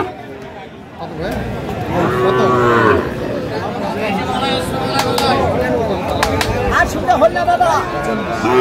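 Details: Sahiwal bull calves at Aftabganj cattle market, Dinajpur district, Bangladesh, on a Saturday in April 2025; a loud, drawn-out harmonic moo swells in the first seconds, followed by further lower lowing over steady crowd chatter and men talking.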